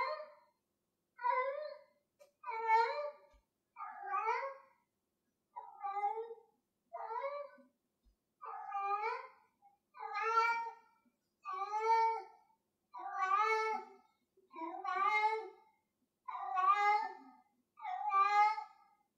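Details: Domestic cat Gloria, playing with a piece of string, gives a long run of about fifteen short, bright meows at a steady pace of one every second or so, clear and unaccompanied indoors.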